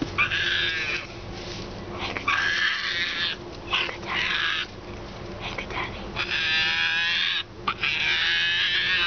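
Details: A hand-reared baby female striped hyena gives harsh, squealing cries in bursts, frightened by one person she distrusts, hiding defensively between two chairs.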